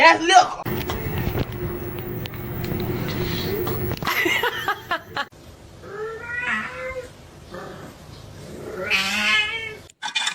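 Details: Domestic cat giving two drawn-out, wavering meows in the second half, the second one rising and then falling, over loud human laughter, screaming and talk in a small room.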